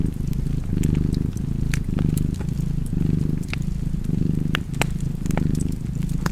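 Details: Purring cat at a cozy fireplace, its deep buzzing rumble surging with each breath about six times, with scattered crackling and snapping from the flames.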